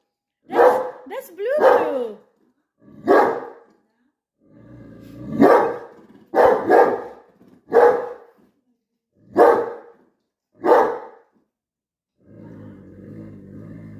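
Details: Pet dog barking at his own reflection: short, sharp, loud barks in irregular bursts, about ten over eleven seconds, some doubled, while a person talks to him between barks; a low steady hum at the end.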